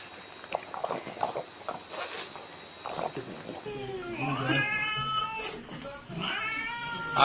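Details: Domestic cat in a funny cat compilation. Russian speech and rustling fill the first half, then a run of drawn-out, wavering meows follows with more talking mixed in.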